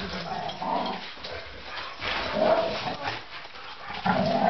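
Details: Great Dane Roxy and Belgian Malinois Ava playing together: rough, growly vocal bursts come in uneven pulses, the loudest near the middle and end, over constant scuffling, panting-like noise.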